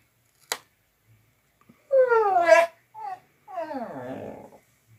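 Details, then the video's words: A dog giving unusual vocal sounds: a single click, then a wavering whine that falls in pitch, a short yelp, and a rough, descending moan. "Crazy Dog Makes Strange Noises Again"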